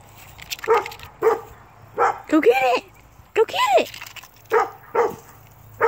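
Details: Pet Dachshund hunting a squirrel outdoors. It gives about ten sharp, high yelping barks in six seconds, at an uneven rhythm. A few barks are drawn out into short whining yelps.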